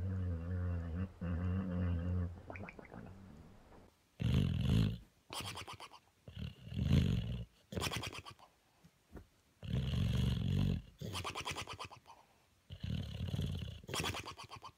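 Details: Sleeping dog snoring in deep, rough, rumbling breaths, loud bursts about a second long separated by short quiet pauses, with a softer droning stretch at the start.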